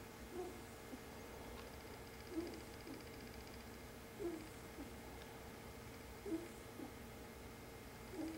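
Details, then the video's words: A pet ferret asleep at home around 2 am, its tiny snore faint: soft, low breathy pulses recur about every two seconds, steady and gentle, over a constant low household hum. "Ferret Snore"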